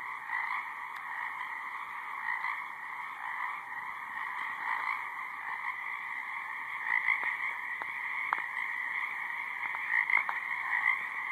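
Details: A dense chorus of high-marsh frogs gives steady, layered trilling with occasional sharper clicks and chirps on top, over some background buzzing.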